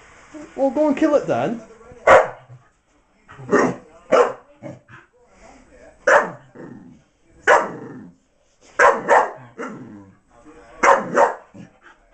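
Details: A female Miniature English Bull Terrier, frustrated by a toy hidden in a box, gives a brief rising whine, then a series of abrupt barks spaced one to two seconds apart, with human voices nearby.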